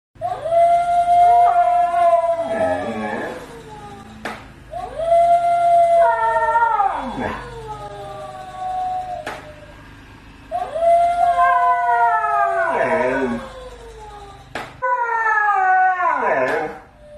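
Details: Siberian Husky howling while upset with a toy, at home; four long sustained howls, each steady then breaking into wavering, falling yodel-like notes, separated by short quiet gaps with occasional clicks or thumps.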